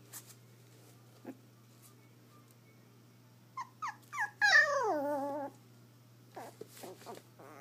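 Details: Lucky, a male black and tan Yorkshire Terrier born January 12, 2013, playing with his rope toy for the first time indoors. Three short yelps, then a drawn-out whining growl that falls in pitch, followed by soft clicks and rustling.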